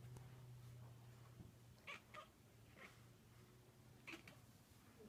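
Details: Domestic cat making strange noises indoors: a few short, faint, chirpy calls with bright overtones, spaced about a second apart, over a steady low hum in a quiet room.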